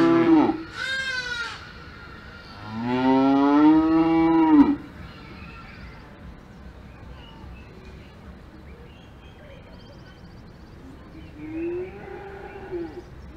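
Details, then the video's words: Alpine farm cows lowing: a short loud moo and a longer, full-throated drawn-out one in the first five seconds, then a quiet stretch with faint bird chirps and a softer, more distant moo near the end. "Cows Mooing on Farm in the Alps"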